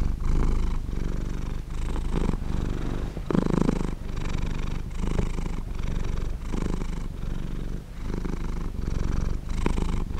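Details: Pet cat purring with a deep, rough rumble that pulses in breath-length waves under a second long, one louder, fuller burst partway through, otherwise steady and uninterrupted.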